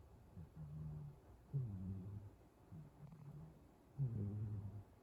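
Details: Soft, deep snoring from a dozing cat: low humming breaths alternate with rougher, louder rasps about every two seconds, in a quiet small room.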